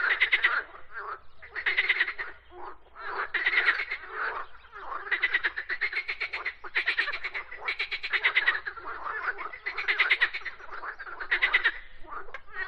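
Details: Frogs croak in a chorus of raspy pulsed bursts, each about a second long, coming in roughly every one to two seconds, with quieter croaking filling the gaps.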